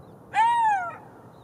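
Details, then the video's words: Golden jackal, one clear wailing note that starts sharply, holds a level pitch, then slides gently downward over about half a second, rich in harmonics, against quiet background hiss. "Golden Jackal sound call / תן מילל"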